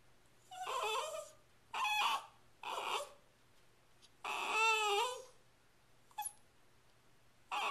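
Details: Shiba Inu Sachi, a female pet dog, filmed indoors on April 23, 2010, urging her owner to hurry with dinner while nosing toward the fridge; harmonic whines and yowls in separate bursts, some rising and falling, with quiet pauses between.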